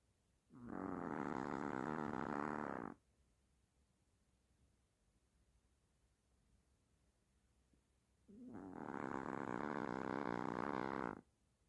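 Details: Hershel, a sleeping Chihuahua, snores like a human: two long, rough buzzing breaths of about two and a half seconds each, roughly eight seconds apart, with quiet pauses between.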